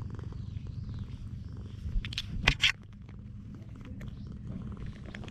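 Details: Affectionate stray cat on a cat island purring in a low, even rumble, broken by a few sharp rustling knocks partway through; filmed on a GoPro.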